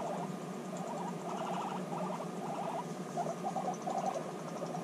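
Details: Reunited guinea pigs, apart for six months, bonding: short stuttering bursts of pulsed rumbling, then a few brighter chirping notes near the end, over faint background hum.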